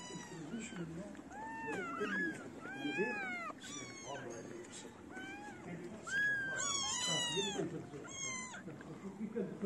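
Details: Homeless feral kittens, hungry in the cold, gather around a person feeding street cats: many overlapping high, bending meows, some rising then falling, follow one another rapidly over a low background murmur.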